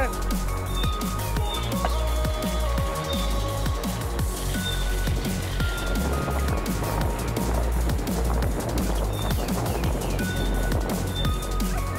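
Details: Driving electronic music with a steady beat fills the whole stretch, with no animal voice standing out.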